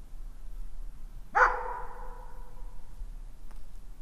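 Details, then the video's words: One loud dog bark with a lingering echo, set against a faint low rumbling background. "Dog sounds | Top 7 dogs barking video | Sounds of dogs barking and howling"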